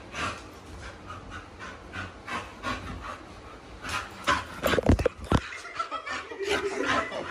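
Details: Blue, a female American Bully hiding under a blanket, pants in quick, breathy bursts about twice a second, broken midway by louder snorts and rustling.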